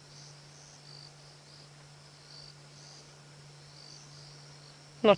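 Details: Crickets chirping softly at night in the bush during a safari drive near sleeping lions, quieter than usual; faint high pulsed trills repeated steadily over a low steady hum, with a short loud burst at the end.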